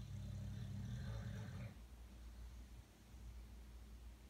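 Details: Sleeping dog snoring at night, as it does nightly. One deep, rasping snore lasting under two seconds, followed by quiet breathing and a low background hum.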